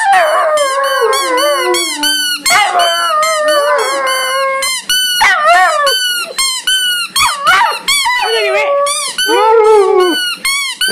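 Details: Several Irish wolfhounds howling together: overlapping long, wavering tones that rise and fall, some sliding higher into yelps, forming a continuous chorus with many voices layered at once.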